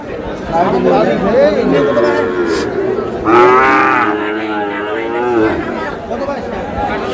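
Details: Sahiwal bull calves bought by a farmer in Comilla, Bangladesh, on 27 March: a drawn-out, level lowing moo lasting about two seconds rises above steady human chatter and bargaining voices, with fainter moos earlier.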